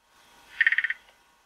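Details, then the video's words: Male threestripe croaking gourami showing courtship barring beside a gravid female in an aquarium, growling: a tight train of about six sharp clicking pulses, evenly spaced, lasting roughly a third of a second. "Knurrender Gurami Trichopsis schalleri"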